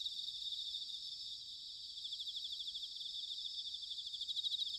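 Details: Bell crickets in an autumn night-style chorus at Sanuki, Chiba, Japan: continuous high-pitched pulsing trills from several insects layered together, steady with small swells, over a soft low rumble.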